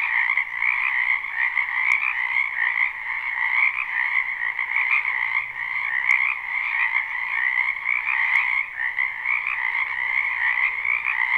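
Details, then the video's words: A spring wetland full of frogs, recorded live with no looping: a thick wall of trilled croaking in layered pitches, steady throughout, with a few sharp ticks and a faint low hum. "Ambient Noise for Sleep Frogs"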